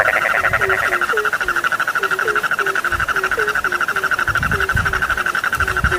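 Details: Frogs at night giving steady low croaks about three per second against a continuous buzzy high trill, with a few soft thumps in the background.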